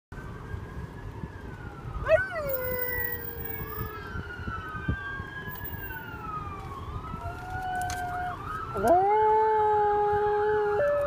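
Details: A pet dog howls indoors, drawn-out tones sliding up and down over several seconds, joining a wailing police siren that rises and falls throughout, with a louder steady siren tone near the end.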